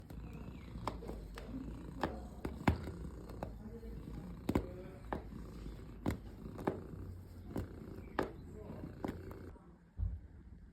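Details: Pet cat making a relaxing sound: a soft, steady low rumbling purr runs throughout, broken by scattered faint clicks and taps.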